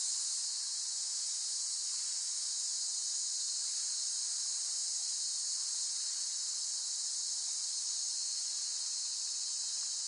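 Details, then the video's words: A constant, high, sizzling cicada buzz runs without a break or change in pitch, and no other animals or noises intrude. "เสียงจักจั่น ฟังเพื่อผ่อนคลาย (Cicada Sound Effects)【セミの声】"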